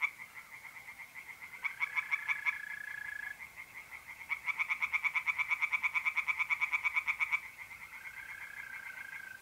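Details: Singing tree frogs at a pond on a mid-April night in north-east Italy. Short rattling bursts build to a long run of rapid croaks lasting about three seconds, with mole crickets trilling steadily between the bursts.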